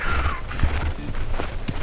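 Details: A donkey heard from an anchorage on the north-east end of Mallorca in autumn brays: a harsh, falling wheeze followed by rough, pulsing grunts.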